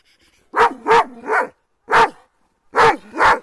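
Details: Kangal dogs on the attack, giving loud, rough barks in two quick groups of three: a fast double bark then a longer one, a pause, a single bark, then another fast pair. The background is otherwise quiet.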